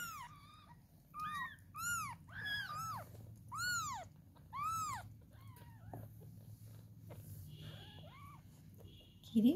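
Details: Kittens indoors at feeding time; repeated high arched mews, around eight clear cries spaced roughly a second apart, fading to softer calls, over quiet human speech.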